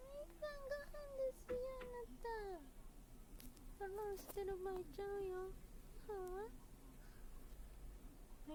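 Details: Indoor house cat, one of three kept together (a brown tabby, an Abyssinian and a short-legged Munchkin), giving a string of clear tonal meows that arch and fall, several close together, then a rising-falling one, with a person talking softly nearby.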